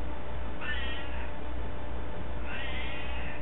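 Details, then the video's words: House cat trading sounds with its owner: two separate meows about two seconds apart, each bright and gently falling, over a continuous low-pitched hum. "talk with cat"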